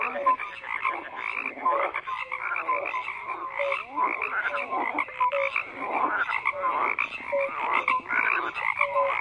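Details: Many frogs croak together in a steady chorus, harsh pulsed calls overlapping with short clear tonal notes repeated at irregular intervals throughout.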